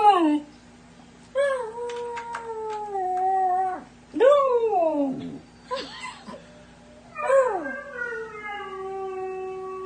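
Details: Siberian husky puppy giving a series of short howls and whining wails, each starting higher and bending downward, separated by brief quiet gaps, with some clicking noises in between.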